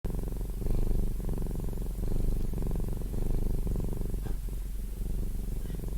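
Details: Domestic cat purring close up, a deep steady rumble swelling and easing with each breath, about one cycle per second, with no other sounds.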